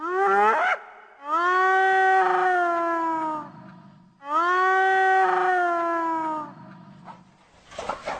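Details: Hyena calls used to keep in touch with the group: two long, drawn-out harmonic whoops, each about two seconds, level then slowly falling in pitch, separated by short breaks with faint rough noise at the end.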